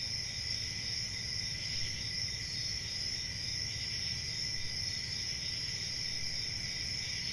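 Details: Crickets chirp at night as one steady, high, buzzing wall of sound that never breaks, with a faint low-frequency murmur underneath.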